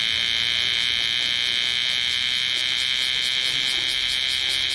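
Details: Bear cicada singing in Osaka city in summer 2010: a loud, dense, unbroken shrill buzz that stays level from start to finish, with no other sounds standing out.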